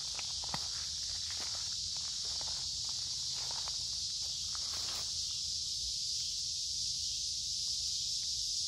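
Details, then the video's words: Cicadas droning steadily on a warm, humid summer day in woods by a creek; the high continuous buzz is overlaid by crunching footsteps for the first five seconds, then rings on alone. "Walking along a Creek with lots of Noisy Cicada Insects Singing in Summer"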